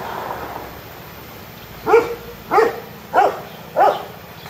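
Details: A baby Himalayan tahr gives four short, nasal bleats, evenly spaced about two-thirds of a second apart; recorded 9 July 2019.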